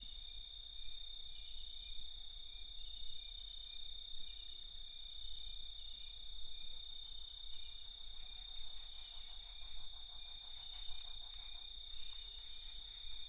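A nighttime chorus of crickets, with steady high-pitched trilling and chirping that layers into one continuous shimmer.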